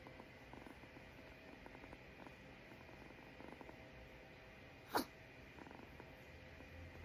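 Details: Kitten purring softly with a low continuous rumble, broken near five seconds by one sharp, sudden sneeze; a thin high whine hums underneath.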